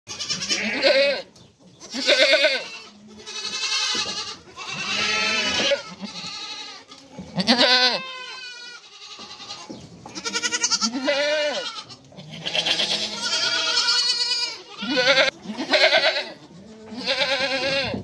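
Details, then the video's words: Mother goat and kids calling back and forth: a run of loud, wavering bleats, some deep and others high and quavering, coming in bursts of about one to two seconds with brief pauses between them. "Anne keçi sesi yavru oglak sesleri"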